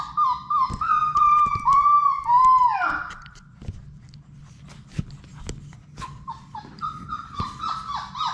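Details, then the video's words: In their puppy play room, a Labrador Retriever puppy from a litter of six gives long wavering whines, then a pause filled with knocks and scuffles before shorter whimpers resume, over a low steady hum. "Labrador puppies at play!"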